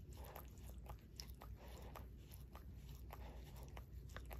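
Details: Shorkie named Barry licking his own paw inside a home, wet tongue smacks coming in short bursts a few times per second against a quiet low hum.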